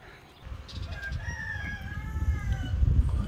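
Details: Puppy from a litter of six, some with eyes open and some still closed, gives a thin, wavering whine that slides up and down for about two seconds over low rumbling handling noise.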